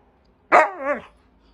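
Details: Siberian husky throwing a tantrum, giving a single loud bark that slides into a wavering, howl-like yodel and fades after about half a second; a person then scolds it for yelling.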